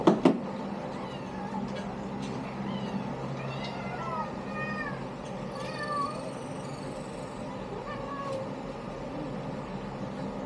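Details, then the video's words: A litter of kittens meows repeatedly, each mew short, high and sliding downward, coming in a loose run of several calls, some overlapping, over a constant low background hum. "LINIS LITTER"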